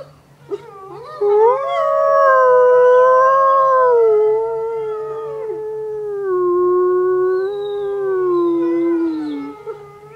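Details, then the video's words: Wolves at the base of Grouse Mountain, set howling by a car alarm: a long, wavering howl swells, holds, then drops and glides lower toward the end, accompanied by other overlapping howls and a faint low hum. "Wolves howling at bottom of grouse mountain"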